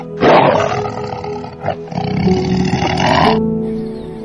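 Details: Tiger roaring: a loud, rough, drawn-out roar lasting about three seconds with a brief dip midway, over background music.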